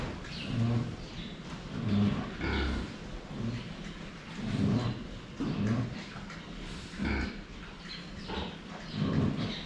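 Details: Pigs drinking water, filmed from the front, make deep, rumbling grunts that come in repeated bursts roughly every one to two seconds, with light clattering between them.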